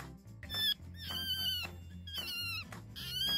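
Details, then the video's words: A rabbit screams: four shrill, high-pitched, bird-like shrieks with wavering pitch, each about half a second long, over background music; rabbits rarely make this sound, usually when extremely scared or under attack. "Rabbits are capable of making a very loud screaming sound, but most people will never hear it."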